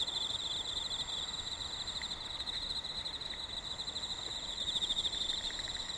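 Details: Insects calling in autumn, active early despite a very hot summer: a sustained high pulsing trill, joined by a few short lower chirps from another caller.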